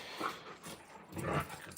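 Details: Alaskan Malamute puppies Moose and Raven, two huge young dogs, playing outdoors; two short, rough vocal bursts about a second apart, the second louder and fuller, with a quiet gap between and faint outdoor background.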